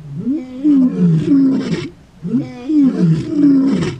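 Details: Male lions in a territorial dispute, Kruger National Park, South Africa, morning takeover. Two loud, deep moaning roars, each swelling and then sinking over about two seconds, separated by a short quiet gap.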